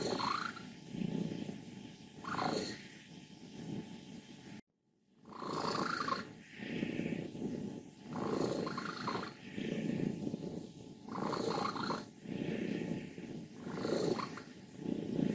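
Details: An old, contented 14-year-old female cat from Leutkirch im Allgäu, Germany, purring and grumbling. Low rattling bursts rise and fall roughly every second or two, with a brief silent gap near the middle.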